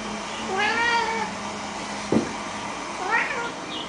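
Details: House cat excited by a bak kwa treat for Chinese New Year lets out a long, clear, wavering meow, then after a brief knock a shorter, higher, upward-sliding mew.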